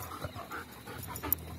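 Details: Trained German Shepherd playing with a ball, panting in soft rhythmic breathy bursts about every quarter second, with faint background noise.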